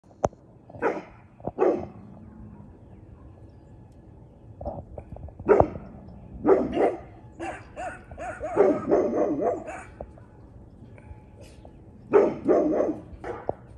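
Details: Cane Corso puppy, 22 weeks old, outdoors in Sunday sun with two older chihuahuas, barking at a local outdoor cat; a deep bark. Irregular bursts of short, harsh barks, singly and in quick clusters, across the recording.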